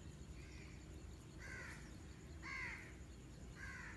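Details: Kittens meowing: short, thin, high mews, about four in four seconds, each a brief rising-and-falling cry over a steady low hum and background noise.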